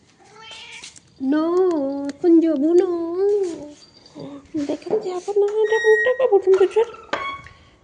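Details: Domestic cat meowing indoors in a small room: a long, drawn-out wavering meow, then several more sustained mewing calls and a run of shorter, rising and falling mews, with a woman talking in Bengali over and between them.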